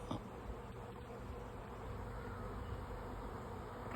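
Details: A swarm of honey bees flying about 50 feet up in the air on May 24, 2024, makes a steady, low droning hum.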